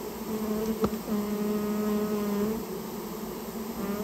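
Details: Japanese honey bees from a colony nesting inside a storehouse, being removed on request; steady low droning buzz with a clear hum and overtones, briefly interrupted by a sharp click near the start.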